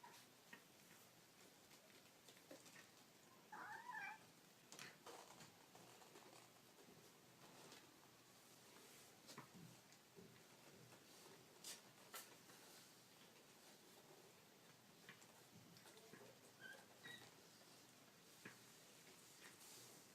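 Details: Baby kittens make cute noises indoors. One high, wavering mew sounds near the four-second mark, and a fainter squeak follows later. Soft clicks, rustling and handling noises fill the rest.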